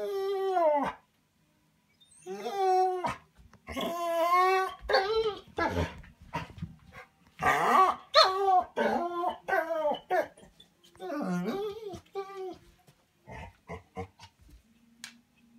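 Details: Bernese Mountain Dog Manda, kept inside a cabin while Tim is walked, 'talks' to be let out: long wavering howl-whines in rising and falling arcs, grouped in bursts separated by short pauses.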